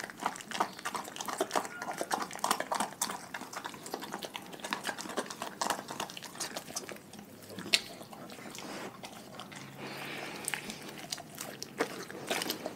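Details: Raw-fed pack dogs eating, a dense rapid stream of small crackling bites and wet smacking, busier in the first half and easing toward the end.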